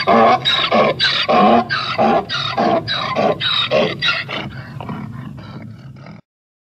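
A donkey brays in loud, harsh see-sawing hee-haws that weaken into wheezy gasps.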